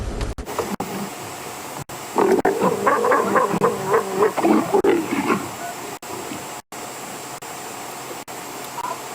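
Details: At sunset in Djuma, Africa, a female leopard growls in a burst of rough, pulsing snarls while courting a male, having caught up to him to perform her courtship dance.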